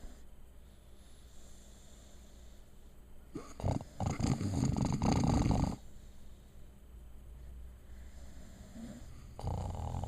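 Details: Female puppy asleep and snoring, one long gravelly low snore lasting about two seconds in the middle, framed by soft breathing and the start of another rasping snore at the end.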